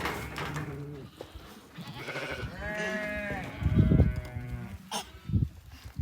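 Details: Sheep. A young sheep bleats in short, quavering, nasal cries that rise and fall in pitch. Soft human voices speak in between the calls.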